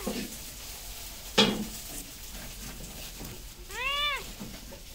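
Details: Domestic cat giving a single clear meow, a short arched call rising then falling, near the end; a sharp click sounds earlier over a steady hiss of background noise.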